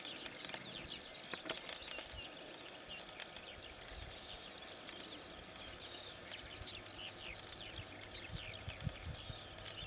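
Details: Bradyporus dasypus, called the biggest cricket, near Negotino, Macedonia: dense, scratchy, rapidly repeated ticks and rasping strokes run through the whole stretch over a steady broadband outdoor hiss, with a faint low rumble beneath.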